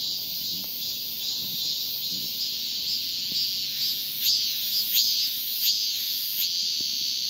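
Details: A male cicada calls a female with a high, hissing buzz. Toward the end it breaks into sharper rasping pulses, each with a slight downward slur, spaced under a second apart.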